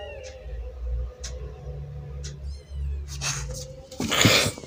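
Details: Mother cat fighting an orange kitten: over steady background music with regular ticks, a sudden loud, harsh, rasping yowl bursts out near the end and lasts about half a second.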